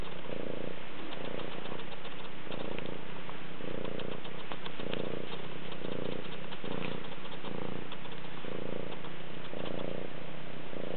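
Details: Moody, a rescue cat, purring in December, recorded close up: a low, steady rumble that swells and fades in regular pulses about once a second, each breath cycle clearly separated.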